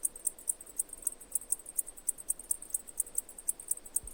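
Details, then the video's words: Cicada chirps sounding as crisp, high ticking pulses at an even pace, about four to five per second, over a low hiss. "Cicada Chirping Sounds"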